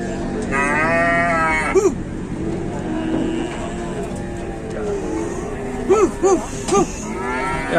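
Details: Geringan cattle calling: a strong drawn-out moo early on, then a rapid series of short, bent moos repeated about every half second, over a low continuous hum of other animals.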